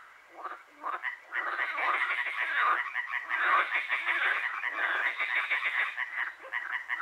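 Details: Frogs croaking through the night in Hłomcza, Sanok commune, Poland; a dense chorus of many overlapping rapid, rattling croaks, pulsing continuously with no pause.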